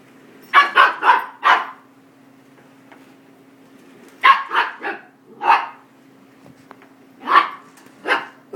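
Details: Five-month-old female miniature goldendoodle puppy barking at a vacuum cleaner: sharp, high barks in quick bursts of two to four, separated by pauses of a few seconds, over a steady low machine hum.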